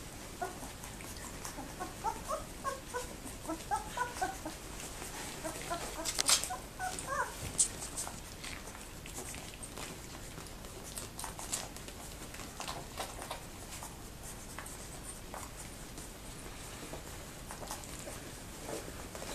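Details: Two-week-old Labrador Retriever puppies, very active, in their whelping box on 7 December 2011: several short, high squeaky whines in a cluster early on, a few more later, among rustling and scratching of bedding.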